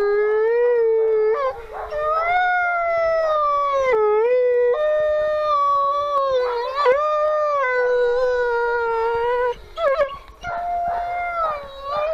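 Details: Female grey wolf at the W.O.L.F. Sanctuary howling in long sustained tones that slowly fall, broken by short yelping pitch jumps and wavering breaks, with several overlapping voices near the end.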